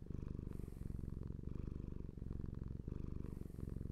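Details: Steady low rumbling purr from a pet cat, fine rapid vibration pulsing through breath cycles, with a light airy hiss at the start and end of the short stretch; otherwise quiet.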